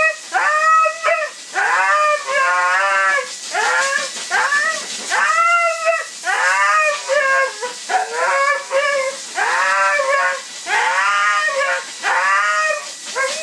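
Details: Bathed Siberian Husky objecting to the blow dryer with a long run of vocal protests: repeated bending, yodel-like howls and whines in quick bursts about every second, over a constant hiss of blowing air.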